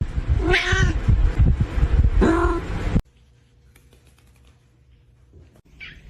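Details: Pet cat, filmed for a funny pet short, utters two loud, wavering meows with strong low rumbling background noise over about three seconds, then near silence with a faint brief squeak at the end.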